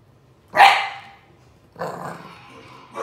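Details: English Bulldog puppy barking while watching a bulldog on screen: one sharp, loud bark, then after a pause a longer, lower, rougher growling bark, and the start of another bark at the end.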